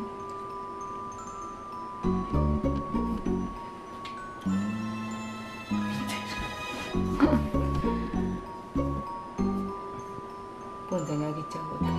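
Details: Bright glockenspiel and marimba music with chime accents and brief speech, with no animal sound.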